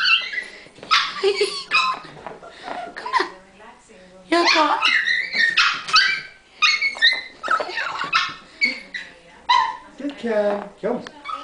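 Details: Sezza the dog, overjoyed to see her owner indoors, gives a rapid stream of high yips, whines and short barks, tumbling over one another, while a person talks and coaxes her in between.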